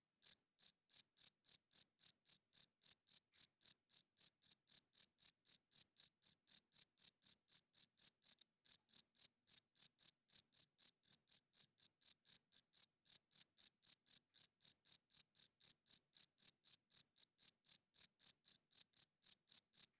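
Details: Long steady series of cricket chirps at night, made by males rubbing their wings to attract mates and mark territory; bright high pulses about four per second, almost unbroken, nothing else audible.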